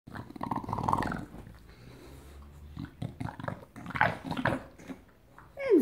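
An English Bulldog greets its owner with excited, gravelly grumbles and short whining bursts that rise and fall. A woman's voice speaks to it briefly near the end.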